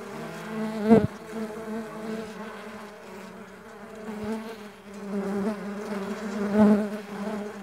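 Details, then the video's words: Mandaçaia stingless bees flapping their wings in flight make a low harmonic buzz that surges loudly as a bee passes close near the start and again near the end. "STINGLESS BEE SOUNDS"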